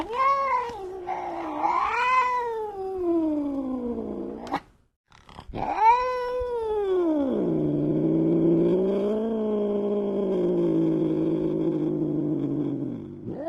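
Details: Angry cat yowling in long, harmonic wails that rise and fall. Two swooping cries are cut by a short break. Then one sustained, low, moaning howl rolls on for about eight seconds.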